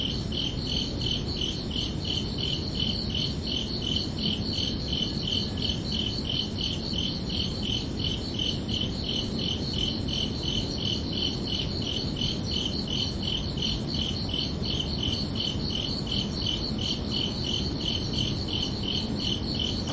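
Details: Summer night crickets chirping steadily, bright high pulses in a fast even rhythm of nearly three per second, unbroken throughout, over a gentle low-frequency background rumble.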